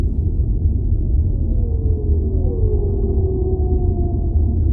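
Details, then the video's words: Whale calls set in underwater ambience: two long, smooth moans sliding downward and overlapping, a steady tone trailing after them, all over a constant deep rumbling wash of water noise. "Relaxing Whale Sounds"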